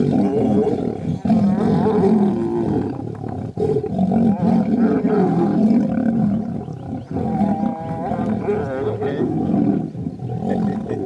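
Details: Lion brothers in a fight, growling and roaring nonstop in a rough, low, rumbling stream with pulsing intensity across eleven seconds, the two voices blending into one churning snarl.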